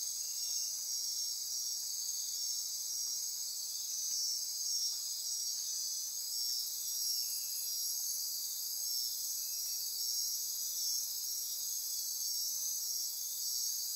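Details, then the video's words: Costa Rican rainforest after dark, near Corcovado National Park on the Osa Peninsula: a thick insect chorus of high ratcheting and trilling tones, with a few short lower chirps rising briefly above the steady hum. "Midnight Insect Chorus"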